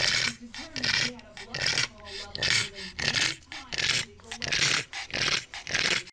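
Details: Pug snorting and grunting in quick breathy bursts, about one or two each second. Each burst is noisy and wheezy with a low throaty tone underneath, steady throughout the short stretch.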